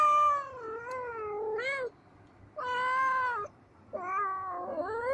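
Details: Blue-eyed kittens at play: long wavering meows, the first dipping then rising, followed by two sustained cries after short pauses, all rich in harmonics against a quiet room.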